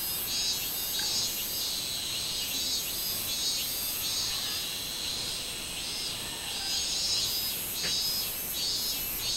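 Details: Minmin cicada chorus from 24 July 2016: a piercing, continuous metallic buzz with rhythmic pulsing surges roughly once per second throughout, and no other clear sounds.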